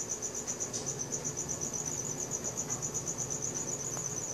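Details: Crickets at night, recorded on a Samsung Galaxy S4: a steady high-pitched pulsing trill, rapid chirps running without pause, over a faint low background hum.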